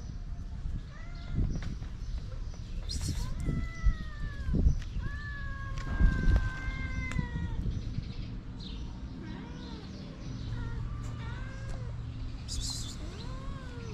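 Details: Feral street cats, a mother seeking affection and her shy kittens, make a series of short meows, some rising and some falling, spread across the recording over low rumbling background noise and occasional clicks.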